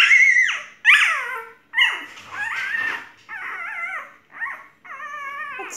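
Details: Golden retriever whimpering: a run of six loud, drawn-out whines, some falling in pitch and others wavering, each lasting about half a second to a second, with short gaps between them and no other sounds.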